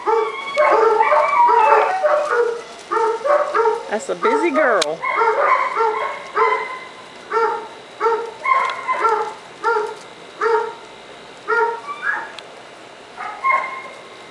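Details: Five-week-old puppies from a Margaux x Summit litter, running around, give a long series of short, tonal, whiny yelps, several each second with brief gaps, broken midway by one wavering rising-and-falling whine.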